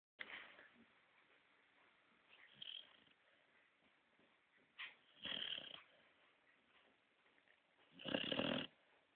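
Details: A 5-month-old female Basset Hound snoring on a sofa, with breathy, rasping snores at uneven intervals.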